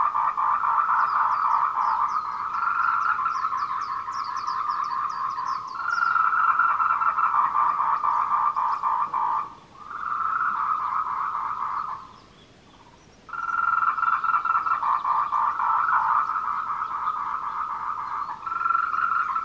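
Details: Daytime courtship chorus of tree frogs, 14:00 on 26 April 2018, Wulong trail at Meiling, Nanxi, Tainan, filmed on a Canon PowerShot SX720HS: continuous quick pulsed croaking in overlapping bursts, two short lulls, with high chirps early on.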